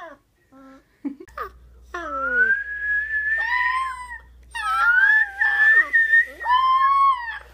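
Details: A four-week-old male wolf pup, howling for the first time, opens with brief squeaks and yips, then gives thin, high howls that rise, quaver and slide down. One overlapping lower voice comes near the end.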